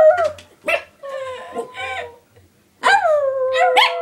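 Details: Three Chihuahuas howl and yelp together in high, wavering, overlapping notes.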